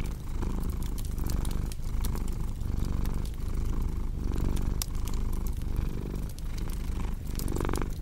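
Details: Relaxed cat purring, a throaty rumble cycling roughly every one and a half seconds as it breathes in and out, with crackling fire pops scattered throughout and a louder crackle near the end.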